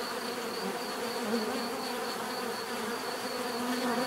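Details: Steady swarm-like buzzing from bees, a dense continuous hum that swells slightly toward the end as individual insects pass closer.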